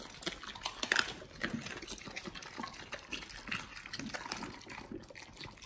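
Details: Pit Bulls eating raw beef shank, raw BARF feeding. Wet, slurping mastication with rapid squishy crunches, loudest in the first second and settling into steady moist chewing.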